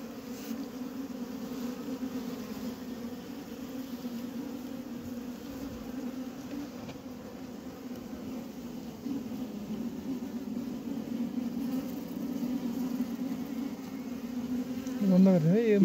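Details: Honey bees at a diseased beehive in Humla, Nepal, where bees have died: a steady, low droning hum runs unbroken throughout and swells slightly near the end, where a brief wavering tone also appears.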